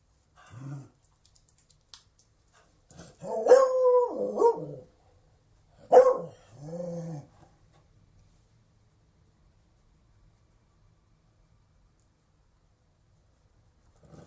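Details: A Beagle gives a short yelp, then a cluster of loud, drawn-out howling barks with wavering, falling pitch, followed by a softer moaning note and then near silence.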